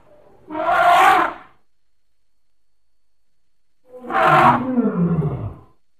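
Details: Elephant giving two loud, harmonic roaring calls about three seconds apart. Each burst is rough and lasts roughly one second, with strong low and middle tones; the second call trails into a falling, groaning tail.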